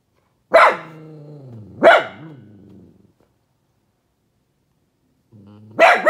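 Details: A sad pet dog barks out of a window, giving two sharp barks about a second apart, each sliding into a drawn-out, wavering whine, then a pause before a third bark rises from a low whine.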